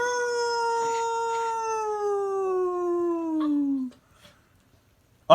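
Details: A pup howls in one long, steady, harmonic tone that slides gradually lower over about four seconds, then breaks off into near silence before a brief sharp sound at the very end.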